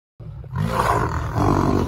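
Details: Lions teasing each other before they fight: a low, rumbling roar-growl that begins abruptly and holds steady with a deep harmonic throb for nearly two seconds.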